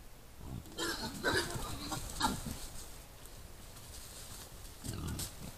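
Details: Wild boar at night in a hollow, caught by a trail camera: a few short, low, rough grunting bursts near the start, at about two seconds and near five seconds, with faint rustling between.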